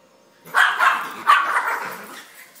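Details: Two Schnauzers greet their owner arriving home with a run of excited, bright barks, two loud bursts close together followed by softer yips tapering off, in a quiet indoor room.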